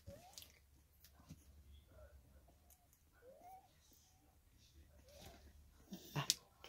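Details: Three-week-old female Staffordshire Bull Terrier puppy indoors, recorded 6 May 2022; soft, thin whimpers that rise in pitch, heard four times at spaced intervals, then a sharp clatter near the end.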